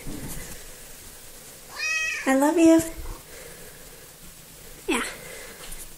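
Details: Small female pet cat, noted as the most talkative of the household, recorded 3 February 2018: one long, wavering meow with a quick rise and fall, then a brief, sharp chirp-like meow after a pause.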